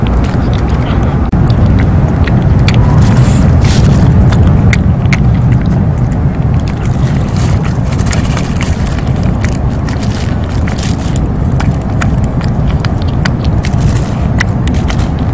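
A stray cat purrs steadily, a deep continuous rumble with a fast throbbing pulse.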